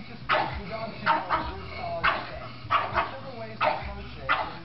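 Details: Pug from a funny pug compilation giving a run of short, punchy barks at irregular intervals, with murmured voices and household rumble underneath.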